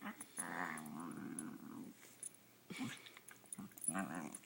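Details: Female pet dog making funny little noises at home while playing with her owner: a drawn-out, wavering whiny growl lasting about a second and a half, then a short pause and several brief grunts and yips.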